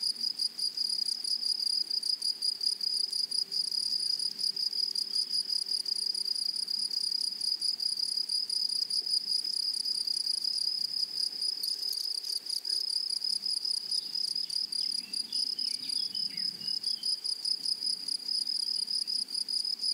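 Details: In a flowery meadow, a loud, close grasshopper chorus forms a dense, continuous high-pitched buzz. Faint chirping notes drift in later, and low rustles sit beneath.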